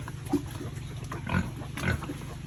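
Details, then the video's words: Farm-raised pigs being fed at a family pig farm, eating; three short, low grunts come at roughly one-second and half-second gaps over a steady low hum and background rustle. "Pig Farming Eating"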